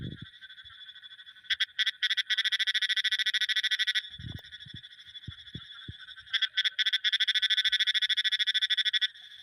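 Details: Long runs of fast, even clicking pulses from a frog, with a short pause in the middle and scattered soft low knocks in the background.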